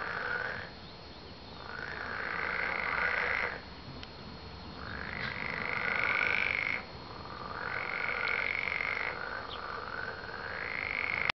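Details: Frogs croaking in long, steady trilled bursts of about three seconds each, separated by short pauses, over a constant hiss, with an abrupt cut near the middle.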